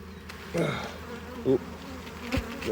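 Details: Honey bees working in a hive during harvest make a continuous low drone, broken by a few sharp knocks and clicks from hive frames being handled.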